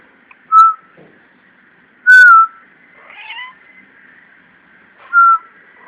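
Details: A domestic cat's strange noise: three short, loud, tonal cries, each slightly falling in pitch and almost whistle-like, spaced a second or more apart, with a faint steady hum underneath.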